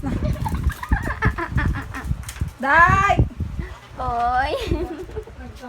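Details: A Shih Tzu crying while having its ear cleaned: two drawn-out, wavering whines over background talking and handling noises.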